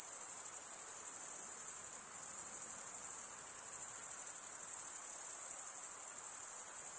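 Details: Male crickets stridulating, rubbing one wing's toothed vein against the other, in a steady, shrill, high-pitched chorus. The rapid pulsing trill holds without pause for the full stretch, with no other sounds.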